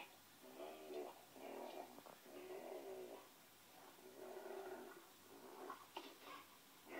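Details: Ole the Pinscher indoors producing sustained, quavering whine-howls, long tonal notes that bend up and down almost continuously, with a few sharper yelps toward the close.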